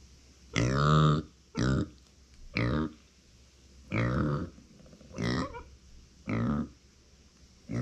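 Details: Uni, a female pet micro pig born in September 2020, cries when nobody is close by: seven short harmonic grunts about one second apart, each a nasal, slightly wavering burst.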